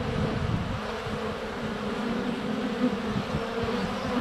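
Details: Honey bees in flight around a hive entrance on a sunny February day, filmed up close with a GoPro Hero 7 Black: a dense, steady drone with a wavering low hum and occasional bumps as bees land on the camera.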